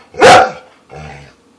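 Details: Female pet dog, encouraged by her owners to bark: one sharp, loud, bright bark, followed about half a second later by a softer, lower voiced sound. The room is otherwise quiet.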